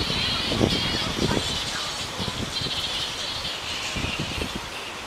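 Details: Flying foxes, also called fruit bats, in a frenzy in the Royal Botanic Gardens, Sydney, Australia, on 16 December 2009: a dense, unbroken band of shrill chattering and squabbling from many animals, over scattered low thumps and background rumble.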